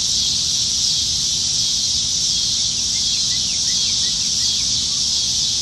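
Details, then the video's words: Plentiful cicadas in Nebraska treetops on a July 2019 summertime evening, with an unbroken shrill droning wall of sound and a scattered series of faint chirps partway through over low background hum. "Summertime Evenings in Nebraska - Cicadas"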